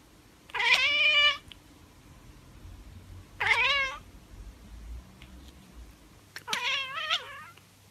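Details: A tabby cat chattering and chirping gives three short, bright, chirping meows, each clearly harmonic and spaced a few seconds apart.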